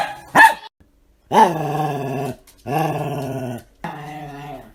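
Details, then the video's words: Pet dogs making weird noises: a sharp bark, then three drawn-out, harmonic, moaning howl-grumbles about a second each, slightly falling in pitch, separated by short pauses. "My Dogs' Weird Noises Compilation"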